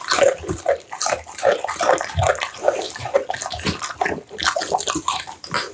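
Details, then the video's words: Close-up American Bully mukbang meal of steamed pumpkin and minced duck meat: wet slurping and chomping at a quick uneven pace, with short squelchy smacks repeating over two to three times a second. "American Bully ASMR Mukbang: The Most Intense Eating Sounds!"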